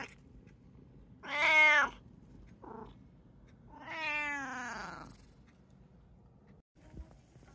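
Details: Household cat from a home with three cats (brown tabby, short-legged Munchkin, Abyssinian) calling twice: a strong meow, a brief soft chirp, then a longer meow that falls in pitch, followed by a faint click.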